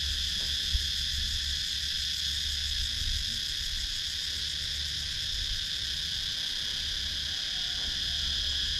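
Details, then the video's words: Insect ambience from Sakon Nakhon, Thailand woodland, cicadas recorded with a GoPro Hero 9: a constant, layered high whine holding steady the whole time over a faint low hum. "Relaxing Sounds in Nature – Cicadas Sound"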